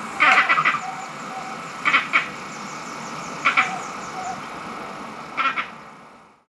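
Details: Green monkeys in Barbados, angry, possibly in a territorial dispute over mango trees or a fight within the troop; harsh, noisy chattering bursts in four clusters spaced about one and a half seconds apart, each of several rapid pulses.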